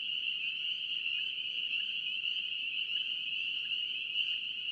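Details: A North Carolina chorus of spring peeper frogs forms an unbroken, high, ringing wall of peeps that holds constant throughout, with soft low background noise.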